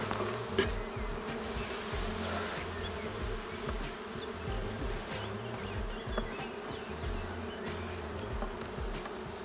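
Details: Queenless honey bee colony in a drone-laying hive, giving a continuous low, even buzzing drone over nearly ten seconds, with occasional faint clicks and soft knocks above the hum.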